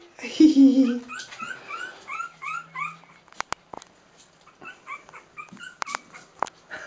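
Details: Playing Cairn Terrier puppies, three weeks old: a low grumbling whine opens, followed by repeated short high squeals and whimpers, with sharp clicks and knocks from movement in between.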